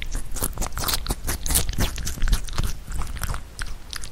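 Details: Pet rabbit Huchu bites and chews Korean melon, which it did not eat much as a baby. Quick, crisp crunching and moist chewing in rapid irregular bursts, heard very close.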